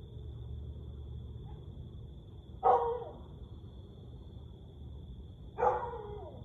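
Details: A Siberian Husky howls in the small hours, 1:49 am on 30 May 2021. Two brief, loud, falling yowls arrive three seconds apart amid a low background hum and a steady thin electronic whine.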